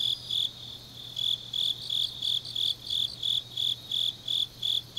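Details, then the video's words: Deep-autumn night grass insects in Changnyeong, Korea: rhythmic high chirps roughly three each second, one louder caller over softer neighbouring insect trills, plus a steady low hum. "깊은밤 가을 풀벌레 소리"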